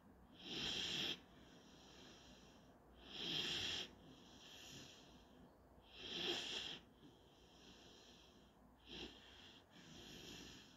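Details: German Shorthaired Pointer puppy named Panzer during his daily nap, recorded 17 February 2021: wheezy, snorting snore breaths repeated roughly every two and a half to three seconds, each a hissy burst with a faint low rumble beneath.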